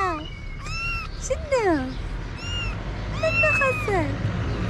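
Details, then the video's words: Street kitten in Morocco calling its mother, who was out looking for food; several short, high meows with bending pitch, one sliding downward, set against constant low rumble and some speech. "Mama the cat who was looking for food came when she heard her kitten meow."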